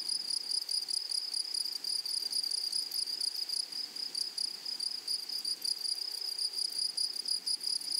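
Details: Grasshoppers of a flowering meadow produce a sustained, sharp, high-pitched trill with occasional short breaks and slight flutter in loudness; no birds or people audible.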